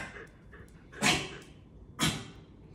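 Two sharp, broadband barks from a corgi ring out about a second apart. A quiet room hum fills the gaps between them.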